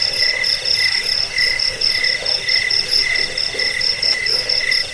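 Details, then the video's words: Cricket chirping meant for driving off rats, lulling listeners to sleep and training songbirds: high, trilled pulses in two pitch layers, pulsing rhythmically about twice a second. "Suara jangkik pengusir tikus pengantar tidur"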